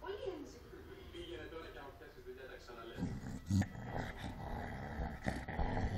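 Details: A Cocker Spaniel growls low and rough in bursts during an angry fight, with human voices talking over it.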